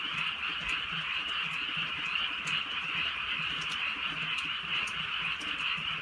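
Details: Frogs calling together in the countryside at night under gentle drizzle; overlapping pulsed trills form a constant shrill wall of sound, with clicking raindrops scattered through it.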